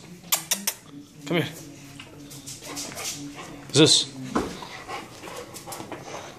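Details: Male German Shepherd puppy, four and a half months old, bred in the Dallas area, Texas, gives one sharp, loud bark midway amid scattered clicks and thumps while a person speaks nearby.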